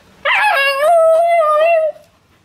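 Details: A Siberian Husky puppy gives a short, steady, tuneful howl that wavers slightly, "talking" back as its owner repeatedly says "I love you".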